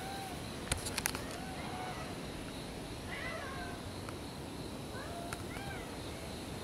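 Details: Cats checked on after a typhoon during the first weekend of October 2014; two short, faint rising-then-falling meows sound a couple of seconds apart over steady background hiss, with a few sharp clicks near the start.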